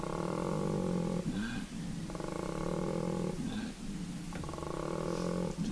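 A koala's deep, rasping bellow: snoring intakes alternate with long, droning, belch-like growls, each phase lasting about a second.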